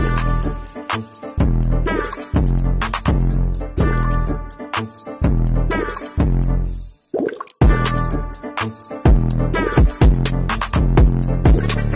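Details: Hip hop style music with drum machine beats plays throughout, with a short break near the middle and no animal sound heard.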